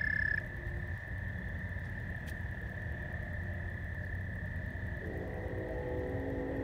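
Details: Frogs trill in a steady, unbroken night chorus at George Lake, Whiting, Indiana, on 15 May 2020, during a thunderstorm, while a distant train horn sounds near the end.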